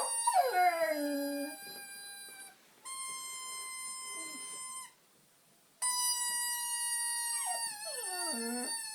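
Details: Honey, a female dog, vocalizes while playing with a squeaker she tore out of a toy. Long steady squeaker tones alternate with her own sliding, falling howls at the start and again near the end.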